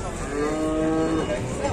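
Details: A frightening, raging cow lets out a sustained, even-pitched moo with rich steady harmonics that fades out near the end, set against a constant hiss of crowd and outdoor noise.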